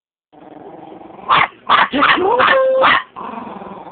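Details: Chihuahua barking: a run of four or five sharp, high barks in quick succession, one drawn into a brief steady whine, over a low background hum.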